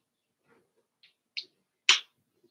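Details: Cavalier King Charles Spaniel puppies, five weeks old, in an indoor pen: a couple of soft, brief snuffles followed by one loud, breathy sneeze-like burst, then quiet.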